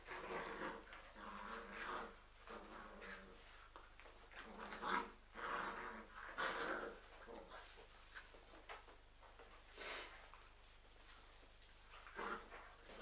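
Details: Labrador Retriever puppies from a litter of seven, four still left, give overlapping high whines and whimpers with short low growly yelps, in irregular bursts through the recording, over a steady low hum.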